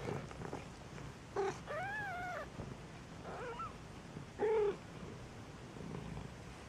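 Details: Maine Coon kittens at a single-breed cattery in Saint Petersburg, Russia, giving high, arched meows with clear harmonics, several short calls spread over a few seconds against a quiet indoor hiss.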